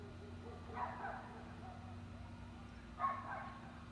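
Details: Small-town Sunday evening with dogs barking in the distance: a pair of brief, harsh barks roughly two seconds apart, set against a constant low electrical hum and quiet background.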